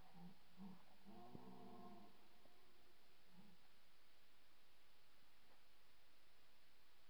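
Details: A red deer stag roars during the 2024 rut, a low, harmonic roar with short grunts, faint, though the stag was not far away.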